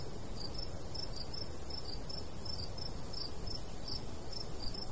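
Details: Chirping crickets in a summertime countryside wheat field, bright short pulses in loose pairs and runs against continuous low breeze noise.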